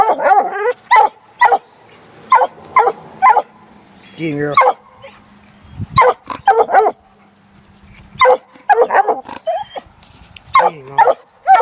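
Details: Black and Tan Coonhound, a six-month-old female, working a coon trail laid for her; long run of choppy barks and yips, irregular and excited, with a brief low rumbling note partway through.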